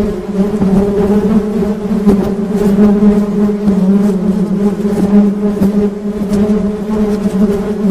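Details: Buzzing of honey bees, a constant droning hum with layered harmonics, slightly fluctuating in loudness, punctuated by brief soft ticks.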